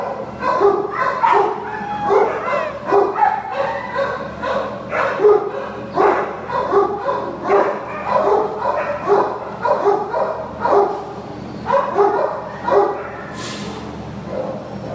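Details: Heidi, an American Pit Bull Terrier up for adoption, recorded 5/29/2015, gives a steady run of short, tonal whining yips, roughly one every second, rising and falling in pitch, with a faint click near the end.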